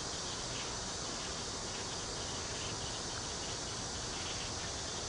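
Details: Cicadas fill the air with a steady, hissing drone that never lets up, in a local park with bamboo near Cheng Ching Lake, Kaohsiung.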